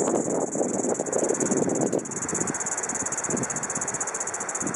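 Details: Kaempfer cicada singing on 4 August 2012 around 12:15 pm: a steady, high, shimmering buzz held without pause throughout, over a rumbling low background like passing traffic.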